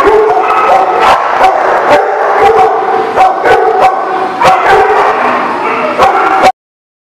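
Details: Dogs at a dog facility, recorded on 22 January 2018, barking over one another in a dense, continuous chorus of sharp barks and yips with constant background din, ending abruptly.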